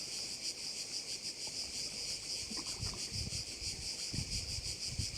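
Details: Crickets at a bay on Korčula, Croatia: a dense, shrill, high-pitched chorus that pulses rapidly and steadily throughout, with soft low rumbles of wind and water underneath.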